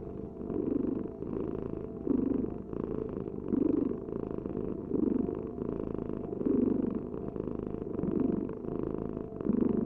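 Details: A cat purrs without pause, a deep throbbing drone pulsing in even breath cycles about every one and a half seconds across the whole stretch.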